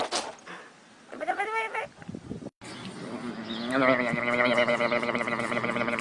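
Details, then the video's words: Goat in a compilation of funny clips, first giving a brief quavering cry, then after a short break a long, loud, trembling bleat held for several seconds. "Funny sounds of Goats"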